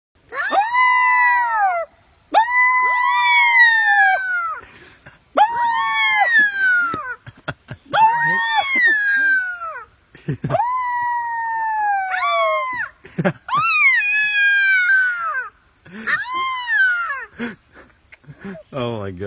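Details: Orphaned coyote found by a man, giving a series of drawn-out, wavering howls, each sliding up then falling away, repeated roughly every two seconds with brief yips near the end; a voice exclaims afterward.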